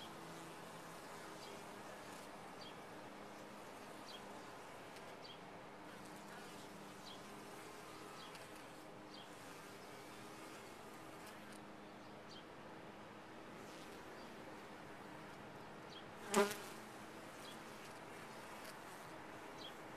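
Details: Honey bees in a top-bar hive, a soft steady low hum with faint banded tones running throughout, and one sharp click about three-quarters of the way through.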